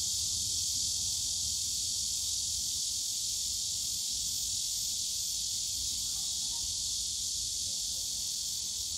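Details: Cicadas in the bamboo forest of Yongsan Family Park on a summer day: a dense, steady high-pitched buzzing drone that holds unbroken and even in loudness throughout, with faint low rumble of park background beneath.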